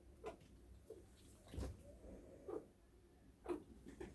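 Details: Hiccuping pet chinchilla at home in the morning, caught suddenly making odd sounds: soft, short hics about once a second, five or six in a row, in a quiet room.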